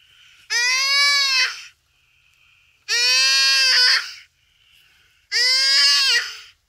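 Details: Dying common duiker caught by a cheetah at Phinda Private Game Reserve on a rainy afternoon, crying for help: three drawn-out, nasal, bleating screams over a second each, with faint background sound between them.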